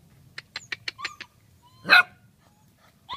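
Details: Forty-one-day-old Leonberger puppy giving a quick run of six short, high yips, then a pause and one louder, rough bark, with a brief yip at the end.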